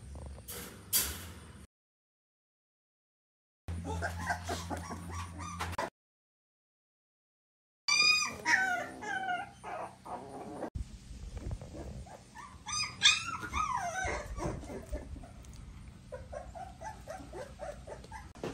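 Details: American Staffordshire Terrier puppies, born 27 June 2023 in Hazel Green, Alabama and learning to walk, give high, thin whimpers and squeaky yips in overlapping bursts that rise and fall, over a low hum.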